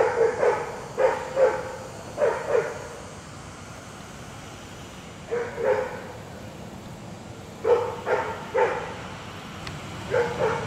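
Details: Dixie, a German Shepherd/Collie mix at a Raleigh Durham dog-training program, barks in short bursts of two or three, about a dozen sharp barks over ten seconds, with pauses between groups over a steady background hiss.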